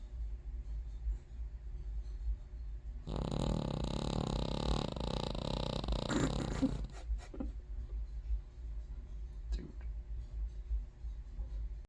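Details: Sleeping King Charles Terrier giving one long, loud, buzzy snore of about four seconds with a wavering rattling tone, followed by quieter breathing and a few soft clicks in a small room.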